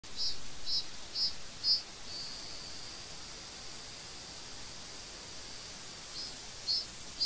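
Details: A Korean cicada sings from a tree in short, shrill, buzzing pulses repeated in quick succession, then fades to a faint hiss; the audio is boosted.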